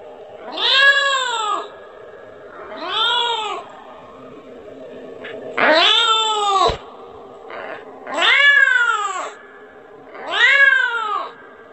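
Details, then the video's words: Kitten calling its mother and begging for milk: five loud, drawn-out meows that rise and then fall, each about a second long, repeated roughly every two to two and a half seconds, with a soft indoor hum between them. "mp3 suara anak kucing memanggil- manggil ibunya 🤣🤣🤣minta susu"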